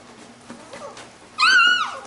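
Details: Labrador retriever puppies from a B litter at play; one short, clear, high whining yelp that rises and then slides down near the end, with quiet rustling before it.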